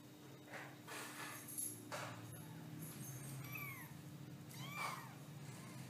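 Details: Domestic cat (kittens). Young kittens mew in short, high, arched cries, two or three in quick succession near the end. Soft rustling bursts and a steady low hum fill the background.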